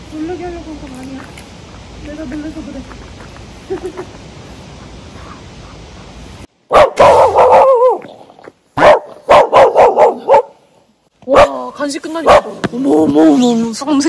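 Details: Puppy barking angrily after getting only treats, at a snow-frozen mountain village campsite in Jecheon, South Korea, at minus 16 degrees in winter; soft low murmurs for six seconds, then loud bursts of sharp, clustered yapping barks with gaps between.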